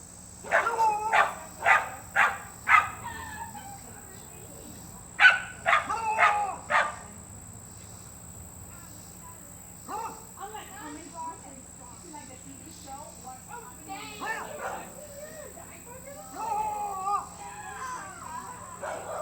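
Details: A beagle bays in sharp bursts of several quick yaps, then falls quieter under softer, murmuring sounds.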